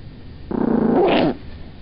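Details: Sleepy pet female Chihuahua objecting to being picked up: one short harsh growl that rises and roughens near its end, less than a second long, then quiet.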